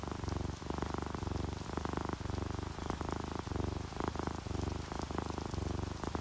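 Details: Relaxed domestic cats, a ginger tabby and a calico, purring while asleep, mixed with rainfall; steady low rumbling purr in rhythmic pulses roughly once per second, with soft continuous rain hiss and dripping throughout.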